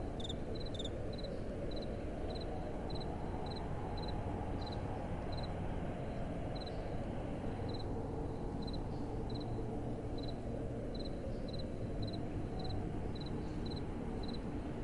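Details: A cricket at night in gentle wind gives single soft, high chirps spaced about every three-quarters of a second, faint against a dominant steady low rush of wind.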